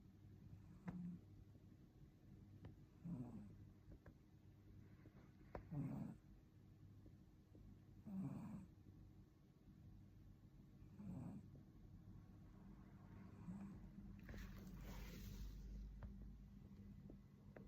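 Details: Maine Coon kitten asleep, giving a series of low, rough snores roughly every two to three seconds, about six in all, with a brief broad rustling noise near the end.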